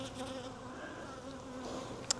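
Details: Buzzing of a wild honey bee swarm during capture from a tree branch into a nuc box. A continuous low hum with a steady tone and overtones, a sharp click near the end, and faint higher buzzing from passing bees.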